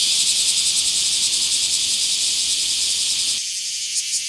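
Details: Bear cicada in a small park, recorded 24 July 2026, gives an intense shrill buzz throbbing in quick regular pulses, slightly softening toward the end, with nothing else audible.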